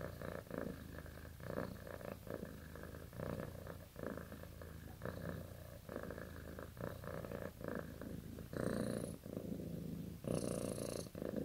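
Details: Cat dozing and dreaming purrs in a soft, grainy low rumble pulsing about 35 times a minute, then two stronger, hissing breaths near the end.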